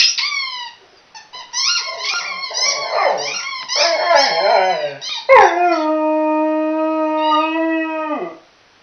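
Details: Chocolate Labrador, female, howling while playing with a squeaky toy: wavering, yodelling howls with squeaky pitch jumps for five seconds, then one long steady howl held for nearly three seconds before dropping off at the end.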